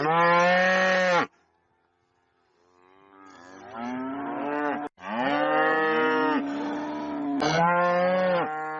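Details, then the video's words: Cow mooing loudly on a farm: a long harmonic bellow, a pause, then several overlapping moos rising and sustained, some cut short, with a sharp click midway. "VACA MUGINDO - SOM DE VACA MUGINDO - VACA BERRANDO ALTO"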